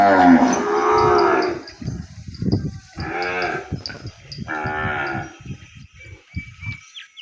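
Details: Calf separated from its mother, kept apart from her in the pen, crying out for her: three loud, drawn-out harmonic moos about one and a half seconds apart, with clattering knocks and thumps between them.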